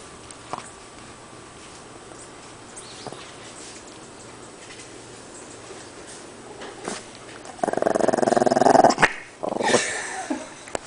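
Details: A tiny shih tzu faces two pit bulls and intimidates them. The recording starts quietly with scattered clicks and knocks, then turns into a loud, buzzing snarl-growl. A sharp, noisy outburst follows near the end.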